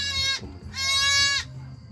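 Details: Goat giving two loud, nasal, wavering bleats, the first short and the second about two-thirds of a second long, separated by a brief pause, over a low steady hum.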